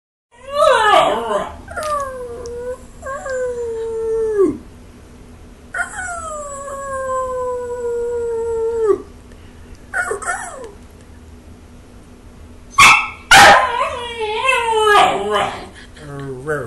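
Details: Belgian Malinois puppy talking to its owner: drawn-out, wavering howls with falling ends, several long notes in the first nine seconds, then short yelps and bursts of rising and falling whines near the end.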